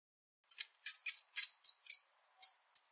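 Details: Rat squeaking: eight short, sharp, high-pitched squeaks in a quiet setting, spaced irregularly about a third of a second apart, each a brief chirp with a bright ringing tone.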